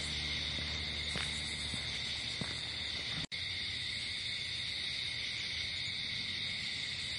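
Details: Night-time crickets in a natural setting keep up an unbroken high shrill trill, briefly cut by a sharp silent gap partway through, with faint low rustles early on.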